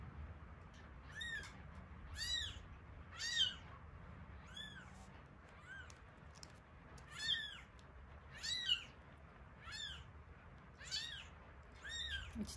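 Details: Week-old kittens Terra and Towa crying during feeding, Terra's eyes opening a little; insistent high arched mews with rich overtones, repeated roughly every second, some louder than others, over a faint low hum.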